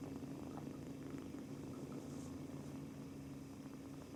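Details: Two-month-old male British Shorthair kitten on his first day in a new home, kneading and purring throughout from nervousness; an even low vibrating drone with a steady hum underneath.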